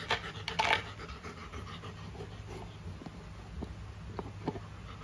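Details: Panting from Luna, a female golden retriever given a carabao horn chew toy; quick breathy huffs with a louder burst near the start, scattered chewing clicks over a steady low hum.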